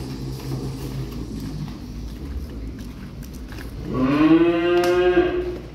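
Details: Newly delivered cattle, calves and grown cows arriving as new stock: after quiet low rumbling and shuffling, a loud rising moo begins near four seconds and holds a strong harmonic tone for nearly two seconds.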